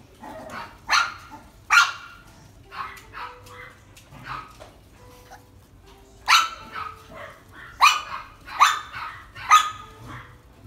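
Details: Sable-coated male mixed-breed dog, born 14 May 2017, kept at a pet shop, barking in bursts: sharp, ringing barks in two clusters with a brief quieter gap of softer yaps between them, low hum underneath.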